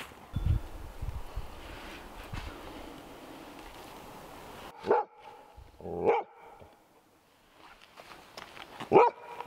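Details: Female Golden Retriever at a cabin on the Georgian Bay coastline, nervous after meeting her first snake, a garter snake that struck at her; three short, loud barks spaced a second or more apart follow steady background noise, and a man then speaks.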